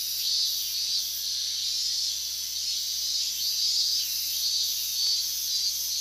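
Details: Summer chorus of higurashi cicadas recorded August 2011 close to the restricted-zone border in Minamisoma, Fukushima Prefecture, louder than ever heard before. A dense, high, shimmering buzz holds steady while brief pulsing bursts repeat above it.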